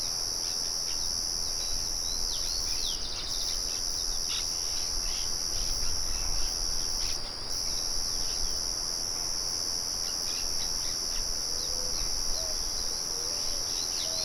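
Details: Crickets keep up a continuous shrill trill that briefly drops out twice. Over it come many short, sharp bird chirps and a few soft low whistles late on, with a windmill's low murmur underneath.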